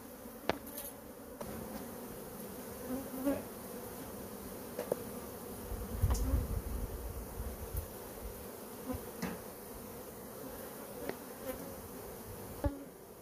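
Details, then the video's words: Honey bee colony being pulled out of a cabinet drawer on a covered porch during a removal, a steady low hum of many bees with scattered clicks and knocks of handling throughout. "Pulled honey bees out with a drawer"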